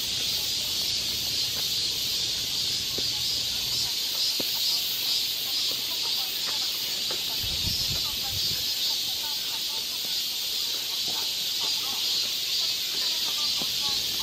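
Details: Summer cicadas on a forest walking path in Galsan Park, Seoul, South Korea, forming a constant high sizzling wall of sound, with scattered chirps of other birds and a low murmur partway through.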